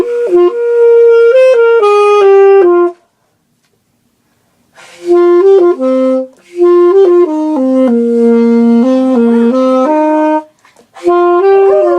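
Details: A saxophone plays a jazzy melody of held, stepping notes with a brief pause, and no animal is heard.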